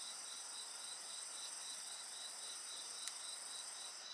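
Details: Short stretch of insect chorus next to a campfire: layered high-pitched shrilling with a faint pulsing and one loud fire crackle near the end.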